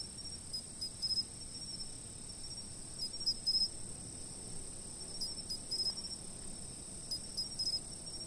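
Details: Insects calling before a fixed camera: irregular little bursts of fast, thin, very high chirps, two or three notes each, spaced a second or two apart, over a steady shrill hum and soft low ambient noise.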